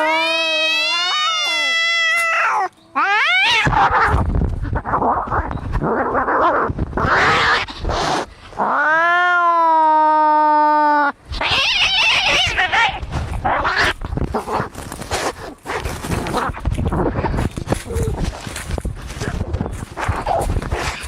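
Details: Angry cats in a fight, trading rising, wailing yowls broken by bursts of harsh, noisy screeching and scuffling, with short silent gaps between outbursts.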